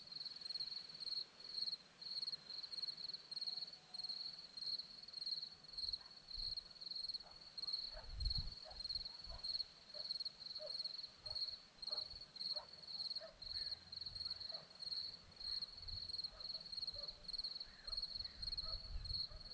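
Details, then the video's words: Crickets on a hillside at Zorlesti, Romania, trilling steadily in a high, thin pulsed chirp that runs unbroken throughout, with faint soft ticks and scattered low thumps beneath. "Crickets sound"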